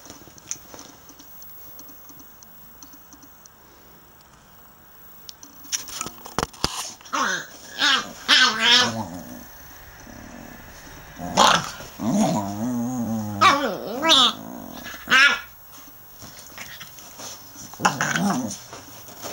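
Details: A 7-week-old male Staffordshire Bull Terrier puppy, described as too brave for his own good, gives short, wavering growls and yelping grumbles while play fighting.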